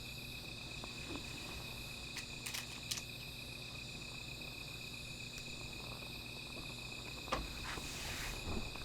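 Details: Insects singing through the night by a small fire, an even high ringing drone, broken by several sharp clicks and a brief louder knock near the end.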